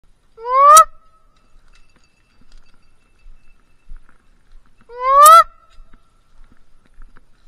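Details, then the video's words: Bluetick Coonhounds baying after they jumped game: two separate drawn-out, upward-sliding, harmonic-rich bawls, each under half a second and about four and a half seconds apart, with quiet outdoor background between them. "Sound of blueticks are like no other !!!!"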